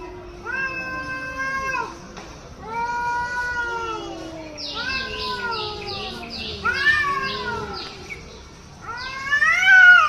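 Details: Hostile cat in Hyderabad yowling at another cat: a string of wavering, droning moans, broken midway by a run of short, harsh, breathy bursts, then a final loud, rising wail.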